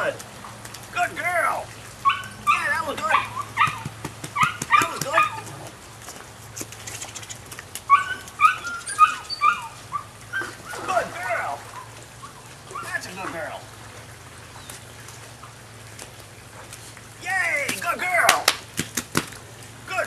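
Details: Nine-week-old female puppy from the Rodin/Katana litter giving bursts of high, tonal yips and whimpers in short clusters, with quiet gaps between bouts and a steady low hum underneath.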